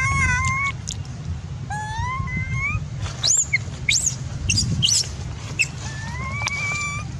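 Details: Baby macaque shouting in anger after its mother refused to give it milk: clear rising tonal coos, repeated several times, mixed with sharp high shrill screeches around the middle, over a steady low rumbling background.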